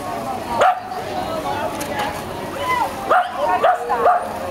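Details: Short, sharp barks from Sky, a tricolor Shetland Sheepdog, at the Laren swimming pool De Biezen, 9 September 2012: one bark, a pause, then three quick barks in a row, with crowd voices and pool din behind.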